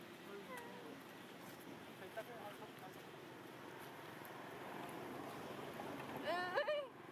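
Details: Baby monkey Bailee cries while being attacked by adult monkey Amara among wild monkeys in Asia: thin wavering squeals early on, then a loud burst of high, quavering harmonic cries near the end, over a steady outdoor murmur and human voices.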